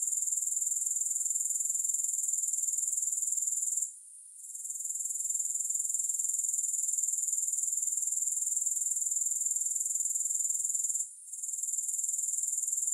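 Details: Continuous high-pitched pulsing hiss of grasshoppers, briefly falling silent twice before resuming at the same steady rate, with no other sounds.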